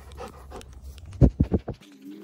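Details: Dogs meeting: Erie, a Great Pyrenees/Border Collie mix, and Hannah, a Yellow Labrador Retriever. Four loud rhythmic pant bursts about every 0.15 seconds, preceded by softer breathy panting, ending in a low steady hum.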